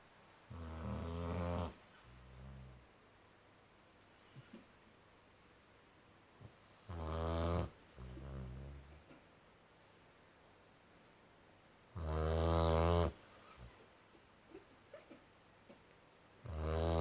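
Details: Female Dalmatian puppy snoring in her sleep: rough, rattling snores about a second long, recurring roughly every five seconds, some followed by a softer exhale, over a faint steady high whine.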